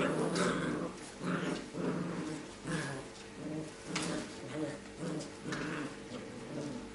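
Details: Labrador Retriever puppies from a B litter playing relaxed together and messing about; repeated short rough growls in bursts about every half second to second, with scuffling and faint background speech.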